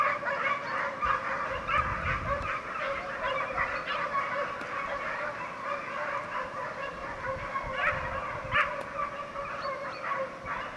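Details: Italian hounds of the Segugio Italiano breed, a European champion pack from 2004, chasing hare; distant overlapping bays blend into a continuous honking chorus, with low thumps and handling noise at times.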